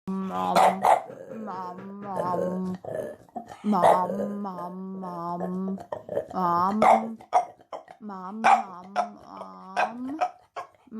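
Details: An 8-month-old male French Bulldog puppy weighing 20.13 kg grumbles and barks in drawn-out, wavering bursts as if trying to talk, with a person's voice mixed in.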